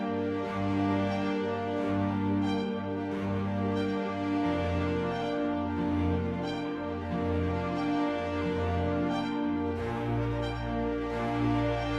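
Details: Gentle background music with sustained tones and a soft repeating beat plays throughout, with no animal voices heard.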